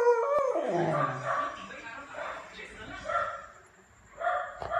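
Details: Almond, a Beagle puppy, barks and howls back at a neighbour's barking dogs: an opening harmonic yelp sliding steeply downward, then separate harmonic barks rising and fading at about one and a half second intervals.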